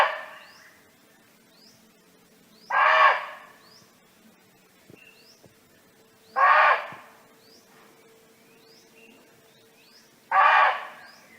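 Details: Wild barking deer calling to companions in natural surroundings: three abrupt, coarse barks evenly repeated about every four seconds, over a quiet backdrop of faint high-pitched bird tweets.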